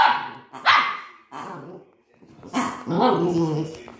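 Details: Scared by her first new toy, Cookie the Maltese dog barks twice sharply, pauses, then breaks into a harsh growling bark that trails off into a rumble.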